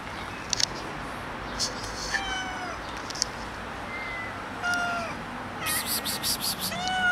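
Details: Stray cats, a group of eight with a ginger kitten, being fed outdoors on a rainy day; several harmonic meows sliding down in pitch, one after another, mixed with short clicks and bursts of broadband noise.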